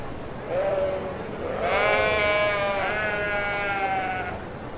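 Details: Sheep giving a drawn-out bleat, a short low note followed by a long steady, slightly falling cry lasting nearly three seconds.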